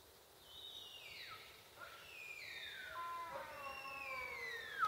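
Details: Sika deer in an enclosure during the rut, giving a series of high whistled calls that slide steeply downward. Several overlapping, falling whistles follow one another with faint harmonics, over quiet outdoor background.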